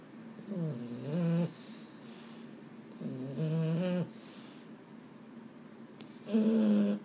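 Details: Boston Terrier, one of two males named Mambo and Cub, at bedtime when it can't sleep. It gives two drawn-out, low, harmonic grumbling moans about two seconds apart, then a third, with faint hiss between.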